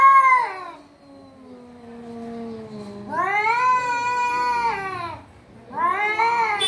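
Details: Domestic cat giving long, drawn-out meows: a short bright cry, then a long low wail sliding downward, followed by a wavering yowl over a second and a further rising cry; quiet indoor background.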